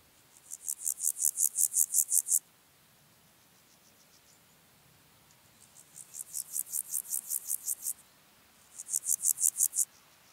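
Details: Water-meadow grasshopper singing at Andechs, Germany, on 21 September 2018: three bouts of rapid, evenly ticking high buzzy pulses, about a dozen per bout, the middle bout swelling gradually in loudness, separated by quiet gaps.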